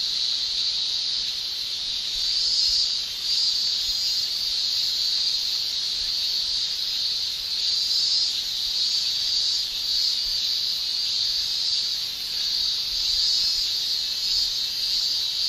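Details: Japanese summer cicadas, males producing tymbal song: a constant shrill drone with slow, irregular surges in loudness, other fainter buzzing high above.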